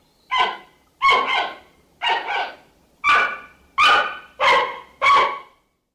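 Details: Seven abrupt, hoarse barks from a giant panda, each rich in harmonics and some with a doubled onset, come in a steady series roughly every 0.7 seconds against a silent background.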